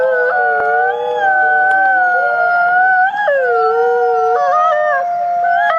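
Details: A trail camera records several gray wolves howling together in long, drawn-out tones that overlap and slide gently up and down.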